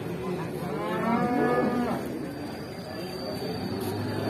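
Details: Limousin cow, aggressive on arrival, gives a single long, rising and falling moo lasting about a second, over a background of steady noise.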